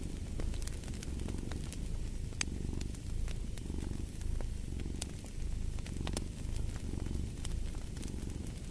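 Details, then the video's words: Cat purring in a low, vibrating drone that pulses with each breath, accompanied by bright intermittent crackling from a fire. "Purring of a Cat"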